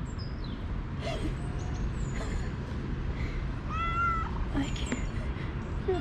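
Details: Russian Blue female strays keep coming up to a visitor in an urban cat park. Several meows sound, one bright rising-and-falling call standing out, mixed with a man talking to the cats and constant low traffic-like rumble.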